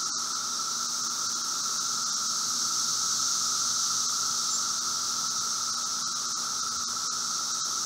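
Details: Chorus of emerging Brood V seventeen-year periodical cicadas outside a house in Logan, Ohio, on a June 2016 afternoon: an unbroken, even roar holding one mid pitch, topped by a continuous high hiss, with no other clear sounds.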